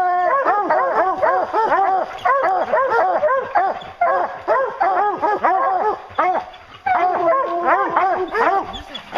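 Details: Bear-hunting hounds in full cry, a chorus of long, drawn-out bays and howling barks overlapping in bursts, with a quieter lull near the seventh second before the chorus resumes.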